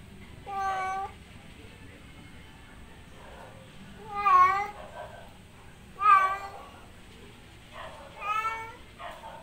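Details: A male domestic cat in heat gives loud, drawn-out, wavering meows, calling to a female outside.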